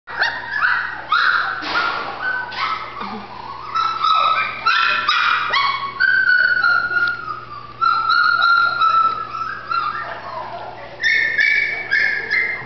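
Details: Female Golden Retriever puppy in Terrell, Texas, giving a steady run of high, tonal whines and short yips, some sliding and wavering, with brief gaps and faint background noise throughout.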